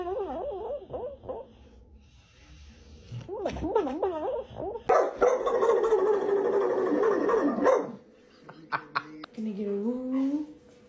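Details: Pet dogs giving wavering, warbling howls that rise and fall quickly in pitch, followed by a burst of louder noisy vocalizing, then a short rising whine near the end; a person speaks indoors.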